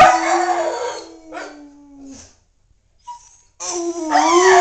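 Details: Momo the Siberian husky howling with a little human encouragement: a softer wavering howl fading into a long thin falling tone, silence, then a loud new howl that bends down and up.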